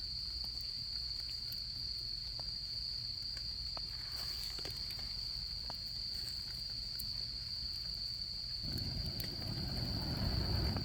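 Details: Autumn insects trilling at a Japanese campsite beside a crackling campfire: a constant high-pitched buzzing trill over frequent fire pops, with a louder low roaring rumble rising in the final few seconds.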